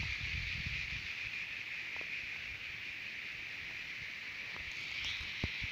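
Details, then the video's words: Jalal-Abad, Kyrgyzstan, at Terek-Sai: cicadas keep up a high, sizzling drone, with low rumbling and rustling at the start and scattered clicks toward the end. "Певчие Цикады"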